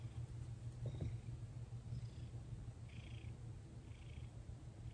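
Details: Thomas, a pet cat, purring during his first full massage after 18 days with his owner, December 2021, recorded at night indoors; steady low rumbling purr throughout, with faint soft rustles of hands on fur.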